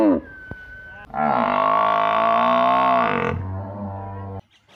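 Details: Buffalo calling in a village where cows are kept: one long, steady, deep moo held for over two seconds, with a rich layered tone, then a lower, quieter tail before it stops.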